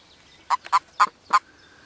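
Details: Frogs calling during the mating season at Kassinurme on 25 April 2011: four short, low, throaty pulses about a quarter second apart, each clipped and slightly grunting, over a quiet background.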